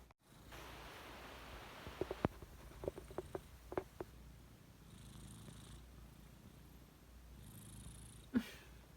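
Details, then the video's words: Heavy breathing or snoring from Dori, a house cat: a low, steady rumbling purr-like drone. A few sharp clicks and taps come in the first seconds, with soft breathy hisses later and a knock near the end. "หายใจเสียงดังหรือกรนวะ โดรี🤣 hard breathing or snoring,Dori"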